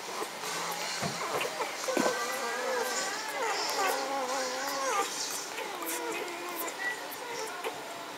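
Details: Magyar Vizsla puppies of the B litter from the Elsterhaus kennel, filmed 14 May 2015: wavering, whining cries rising and falling in long overlapping strands, with occasional knocks and handling sounds.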